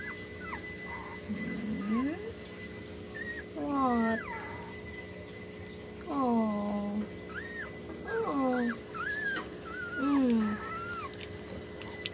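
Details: Two-week-old puppies with eyes still closed, being helped to breastfeed: repeated thin, whining whimpers that rise and then slide down, several overlapping, in bursts every couple of seconds, with a faint steady hum behind.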